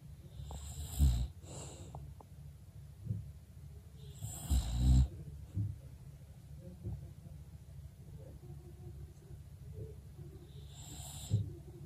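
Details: A female English bulldog snores deeply while sitting still, with low rumbling breaths and occasional louder snorts.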